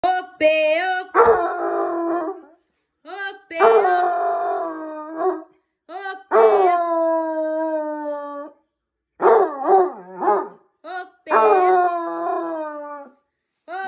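A basset hound gives long, mournful howls that slide downward, pausing between each drawn-out note.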